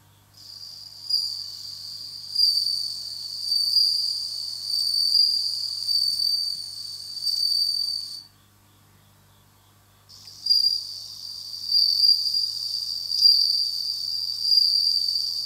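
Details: Indoor-kept bell cricket singing in autumn, a steady high tinkling trill swelling and fading in waves, with a two-second silent break midway before the ringing returns.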